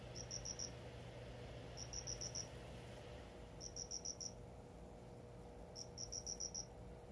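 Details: Captive cricket given a new home, singing indoors: four short bursts of high, bright pulsed chirps, about five pulses each, spaced about two seconds apart, over a quiet low hum.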